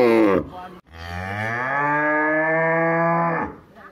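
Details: In a village, a cow gives a long, steady moo that rises slightly and then holds before fading.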